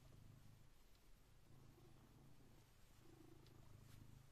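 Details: Blue British Shorthair cat purring at 6am to wake its owner, a daily habit; continuous low vibrating rumble rising and falling with each breath, faint clicks above.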